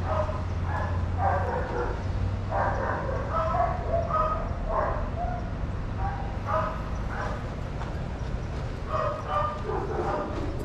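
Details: Shelter dogs at play in a daycare, barking together: rapid overlapping barks and yips from more than one dog, coming in quick clusters through the whole stretch, with a constant low hum beneath.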